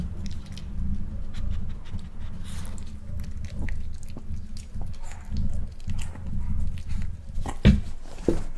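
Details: Male Miniature Pinscher trying boiled egg for the first time, one egg eaten: continuous soft low chewing and wet smacking, rising and falling in bursts, ending with two sharp clicks near the end.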